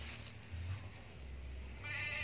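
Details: Bety, a female Boer-cross goat newly obtained from a farmer, gives a brief harmonic bleat near the end, after a stretch of low rumbling background noise.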